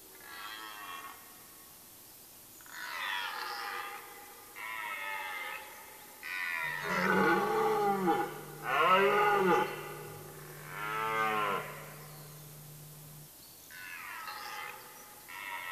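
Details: A rutting red deer hart in a German forest in Mecklenburg-Vorpommern, late September: a series of loud, groaning roars with swooping, wavering harmonics, several short bursts building to stronger bellows mid-sequence, then fading, with a faint steady hum beneath.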